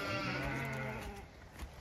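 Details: Zwartbles ewes, part of a flock waiting up a hill to be released down into the field after hearing food being poured, give a single drawn-out, low, richly harmonic bleat that fades away after about a second.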